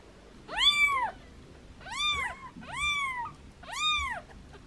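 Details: Foster kittens meowing playfully while in hands: four loud, clear, high-pitched arched meows roughly one per second, the second and third with a small trailing upturn, against a quiet background.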